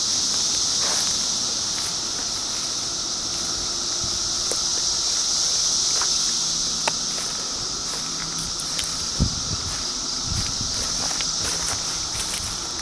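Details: Cicadas recorded in 2013 keep up a dense, unbroken high-pitched hiss, steady throughout, with scattered clicks, taps and brief low thuds in the foreground.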